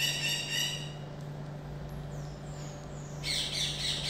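Common marmoset giving shrill, high-pitched calls, with a steady low electrical hum underneath.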